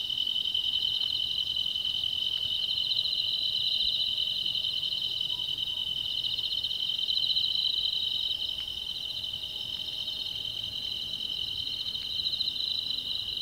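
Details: Night insects calling from a grassy thicket keep up a steady, high, shimmering trill that hardly pauses, recorded 7 August 2016. Insect.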